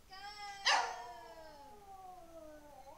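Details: Elvis, a male Lhasa Apso aged 11, holds one long mournful howl indoors, a steady harmonic note that slowly sags lower over about two seconds, broken early by a sharp clap-like burst.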